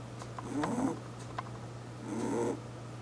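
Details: Snores of an eight-year-old pet rabbit sleeping indoors: two breathy, faintly whistling rasps, one early and one near the end, against a quiet background with a low steady hum.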